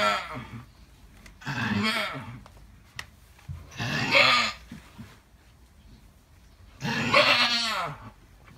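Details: Alpine goat giving birth to triplet kids, uttering harsh, strained bleats in bursts, with a loud drawn-out cry near the end and quieter noisy calls between, over low rumbling background.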